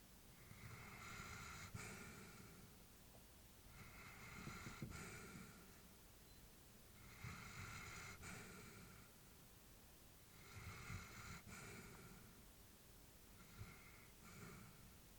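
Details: Elderly female Labrador Retriever asleep indoors, breathing slowly and steadily: soft snoring breaths with a low rumble and airy upper hiss, about five breaths in fifteen seconds, each swelling and fading, in a quiet small room.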